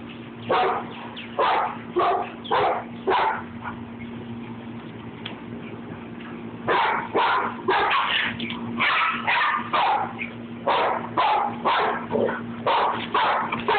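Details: Rat Terrier at play, a playful bout between two dogs, one named Babygirl: bursts of loud, rough barks and yips come in quick clusters with short pauses, over a steady low hum, with a person urging them on.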